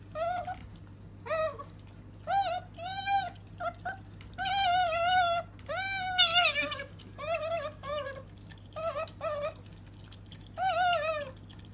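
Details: Sakura, a female pet otter kept indoors, gives a quick series of short, wavering, whine-like squeals, some rising and some falling, in about a dozen bursts with brief gaps, over a steady low room hum.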